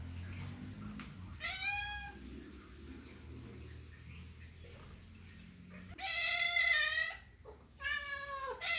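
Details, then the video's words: House cat's happy meows: after a quiet stretch with low murmuring, a single rising-falling meow, then two loud, strained, drawn-out meows near the end. "cat sound effect | for dogs happy meow | cat sounds to attract cats"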